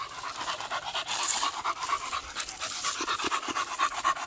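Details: Beagle on a morning walk, coming upon grass: quick, breathy panting at about two pants per second, a steady rasping rhythm with faint background noise.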